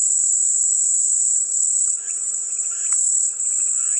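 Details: Cicada chorus offered as soothing white noise, a constant piercing high buzz that never breaks, joined briefly by scattered mid-pitched chirpy notes around the middle, over a faint steady hum.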